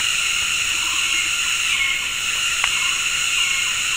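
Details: Dense high buzzing of cicadas making synchronized mating calls from several directions in tropical forest at Gunung Ledang Nature Reserve, West Malaysia, in the afternoon, with a faint bird whistle and a single soft click.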